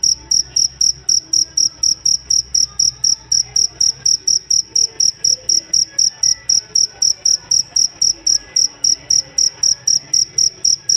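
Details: Steady high-pitched cricket chirping, the jangkrik valued as a master voice for training songbirds; evenly spaced pulses about four each second, continuous throughout, over a quiet low background murmur.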